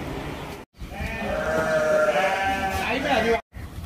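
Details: A goat at a Virar, Mumbai boarding farm during feeding time gives one long, tremulous bleat lasting almost three seconds, rich in harmonics and wavering in pitch, with farmyard noise around it.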